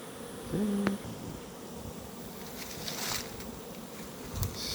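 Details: Crowded honey bee hive box with no food, the bees fighting: a loud, continuous swarm hum with some louder buzzy swells and a brief tonal squeak near the start.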